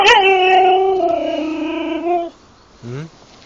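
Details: Siberian Husky in the Urals howls, a long steady tone holding for about two seconds then dropping off, followed by a short lower whimpering sound; a person speaks nearby.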